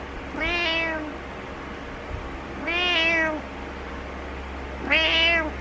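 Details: Three loud, wavering meows about two seconds apart from Butters the cat, insisting that its owner get up; each call rises and falls with strong harmonics over a quiet indoor hum.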